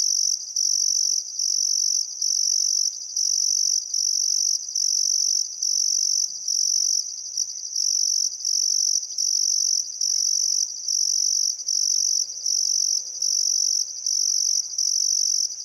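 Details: Summer sunset crickets along the Barcoo River, Welford National Park, Outback Queensland, Australia, keep up a relentless high-pitched pulsing trill in regular bursts about once a second, with a faint low background murmur midway.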